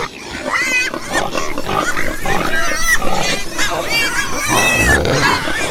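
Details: Domestic pigs squealing in a group: wavering high-pitched cries rising and falling over steady low grunting, several voices overlapping continuously for the whole stretch.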